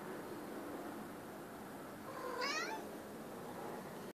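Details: Domestic cat indoors sounding a birdie alert after seeing a bird: one short, bright chirping meow with a quick rising then wavering pitch, standing out against low room hiss.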